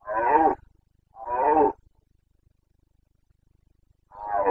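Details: Carpathian red deer stag in Bucovina during the autumn breeding season, 29 September 2022: three harsh, rough roars of about half a second each, two close together, then a pause of nearly three seconds before the next, over quiet surroundings.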